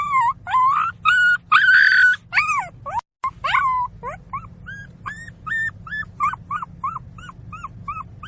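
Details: Puppy crying: a run of high, wavering whines that rise and fall, the first ones long and loud, followed by a short break and then quicker, shorter yelping whimpers repeated about twice a second, with a low steady hum underneath.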